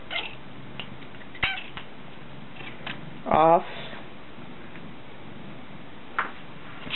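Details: Pet cat back-talking indoors: a single loud, wavering meow about half a second long, rising then falling in pitch, amid a person's brief spoken words, scattered clicks and knocks, and low room hum.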